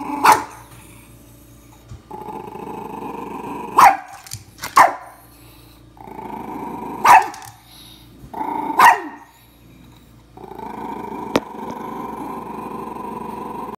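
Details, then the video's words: A dog barking at its own reflection in a mirror: sharp single barks at irregular intervals, several in the first half and more later, separated by low steady growling and a constant background hum. "Dog barking at self in mirror"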